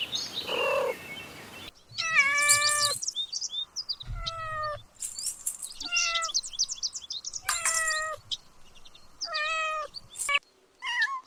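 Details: Kittens stalking and chasing butterflies on the grass give high, thin meows, several short rising-then-falling cries in quick succession with brief gaps, after a softer breathy sound at the start.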